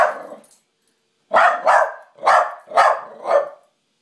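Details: Charlie, a pet dog, confronting his mirror image at night as an intruder: one bark, a pause, then a quick series of five loud barks roughly half a second apart.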